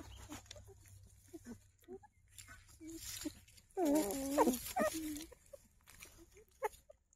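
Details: Young puppies that have just opened their eyes look for their mother, giving one loud wavering whimper mid-clip between soft snuffles and rustling.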